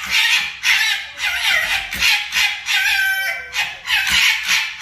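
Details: Two foxes fighting: harsh, raspy screeching cries in short bursts, about two per second, each broad and noisy with a strained harmonic edge, one slurred falling note near the middle, no other clear sounds.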